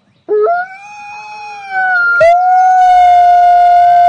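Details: Wild wolf howling: a sudden rising onset settles into a long, smooth, steady tone, rich in clean overtones; a brief break then a second sustained flat howl held to the end, with no other sounds around.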